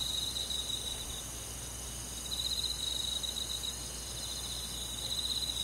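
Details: Crickets calling on a summer night in the forest: bursts of quick pulsed high chirping about one to one and a half seconds long, separated by short quiet gaps, over steady insect hiss.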